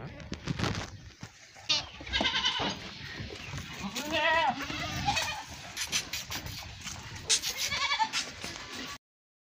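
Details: Goats during milking and feeding of young: a wavering, nasal bleat rises and falls around the middle, with shorter calls nearby, over people talking and handling noise.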